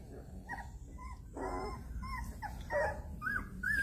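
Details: Mama Jessy's puppies whimpering, their noise waking the cats Dirk, Geert and Toen; thin rising and falling whines, several short cries over a few seconds, with a low steady rumble beneath.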